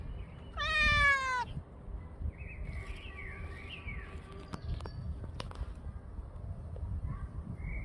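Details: A brown, black and white cat howls, recorded on 10 May 2024 at 6:58 in the morning: one loud, harmonic wail lasting about a second, rising slightly then falling, followed by faint chirping birds and a few clicks.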